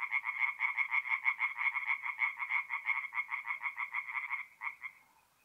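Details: Night song of a tree frog at a forest pond in north-east Italy, mid-April: fast, regular run of nasal croaks, about three per second, holding steady for four seconds before stuttering and fading into silence.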